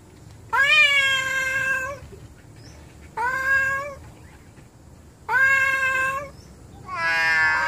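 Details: Indoor domestic cats being angry at one another: long harmonic yowls lasting one to one and a half seconds, slightly rising, four calls in quick succession, the last rougher and more strained.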